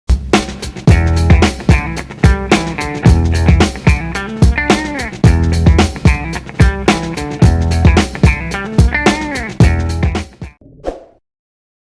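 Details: Funky band music with guitar, drums and bass, ending abruptly, with no animal sounds. A rhythmic groove plays throughout and then cuts to silence.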